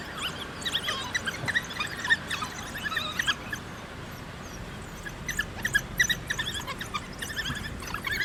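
African wild dogs give bursts of high, bird-like twittering chirps and squeaks, several animals calling together.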